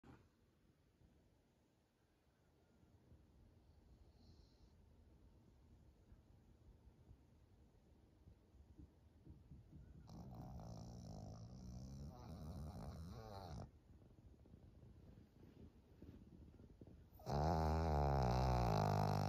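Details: Maria, a 13-year-old senior fawn female pug in Japan, recorded in June 2023: low, rumbling, fast rhythmic snoring breaths, growing louder in rough bursts midway and swelling to a loud, harsh rasp near the end, in a quiet indoor room.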